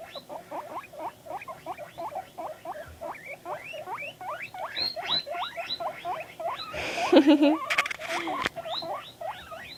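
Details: A pet guinea pig calling while reacting to videos: quick runs of upswept squeaky chirps repeated several times a second, interrupted near the middle by a brief loud burst of other noise.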